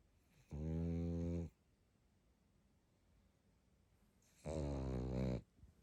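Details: Snoring of a sleeping pug: two long, deep, vibrating snores about one second each, separated by roughly three seconds of quiet breathing indoors.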